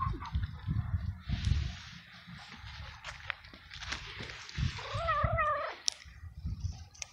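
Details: Stray male cat in heat, cared for over a few weeks, grows excited when petted while seeking a female. A single short, wavering meow with rich harmonics rises out of steady rustling and handling noise, followed by faint clicks.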